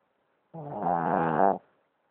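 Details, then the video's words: A Boston Terrier snoring: one low, rumbling, harmonic snore of about one second, rising gently in loudness before stopping abruptly, with silence before and after. "My boston terrier snoring"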